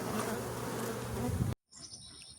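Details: Honey bees buzzing from a wishing-well hive packed in every square inch as a beekeeper removes it with smoke; a dense drone for a second and a half, then an abrupt cut to quieter sound with high tones.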